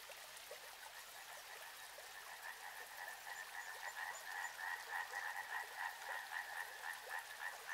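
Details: Riverside frog chorus building in loudness, quick rhythmic croaks about three per second forming a shimmering, regular trill, with gentle stream hiss.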